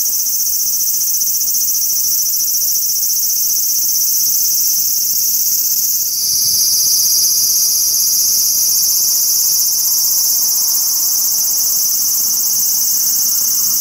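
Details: Large brown cicada singing on a cherry tree in a park: a dense, continuous high-pitched buzzing drone that shifts slightly in tone about halfway through, with steady intensity throughout.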